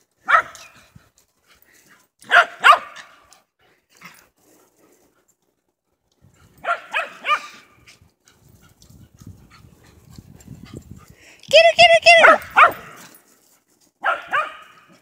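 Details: Two 11-year-old female dogs, Twiggy the whippet and Foxy the sheltie, playing chase at Big Star Lake, Michigan; sharp, yelping barks in bursts of two or three, with short gaps, then a longer rising yip series and a final pair, with soft scuffling between.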